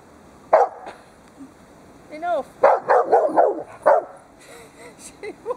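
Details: Two pet dogs, a Dobermann and a Rottweiler, at play with their owner, the Dobermann yanking a scarf; an opening bark, then a rapid burst of several rough barks, mixed with a human voice and a few higher whiny tones.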